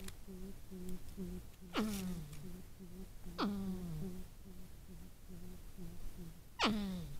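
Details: Porcupines talking, moaning, groaning and arguing: short low hums repeated about every half second, broken by three loud wails that drop steeply in pitch and then trail off into a drawn-out groan.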